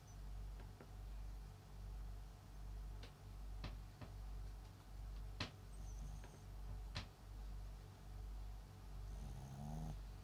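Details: Papillon × Japanese Chin mix dog named MAX, a pet sleeping at home, snoring softly: low, rumbling breaths swell and fade in a steady rhythm, about a dozen in ten seconds, with a few faint clicks in the quiet room.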